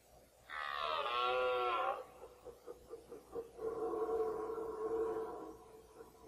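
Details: Red deer stag bellowing during the 2014 rut, mostly the same fourteen-point stag; a long, loud harmonic roar of about 1.5 seconds, then a run of short pulsed grunts and a steadier lower moan.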